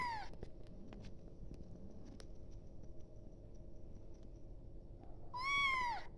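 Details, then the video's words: Kitten calling for its mother: one loud, high, drawn-out meow near the end, falling in pitch, with a fainter one at the start, over steady low background hum. "tiếng mèo con gọi mẹ"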